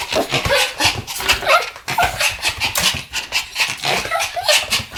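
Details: Two Pomeranian dogs barking together in a duet, recorded 10 November 2015. Dense, overlapping yappy barks and yips run continuously with no pauses. The voices are rough and high.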